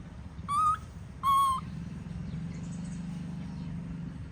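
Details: Tantruming baby monkey left by its mother gives two loud, clear, slightly rising cries in quick succession, each under half a second, followed by a constant low droning hum.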